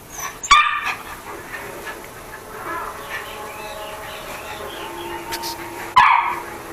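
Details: Playful toy poodle Chucky gives a sharp high bark, then a long thin whining tone, then another loud yap a few seconds later, indoors.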